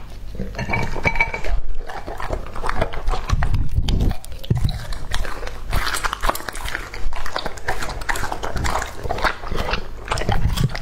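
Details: Two-and-a-half-year-old English-type Labrador Retriever male eating raw meat, dense wet chewing, crunching and smacking with low thumps throughout, continuous gnawing without pauses.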